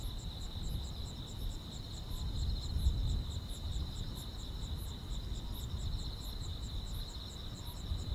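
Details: Grass insects on a quiet countryside summer night: a steady high shrill trill runs beneath rapid pulsed chirps higher still, repeating throughout, over a constant deep low rumble.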